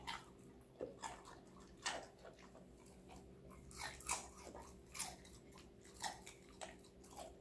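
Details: Connie, a five-month-old female Golden Retriever born 8 November 2019, crunching on assorted vegetables indoors; sharp broadband crunches arrive roughly once a second with short quiet gaps between bites, over a steady low electrical hum.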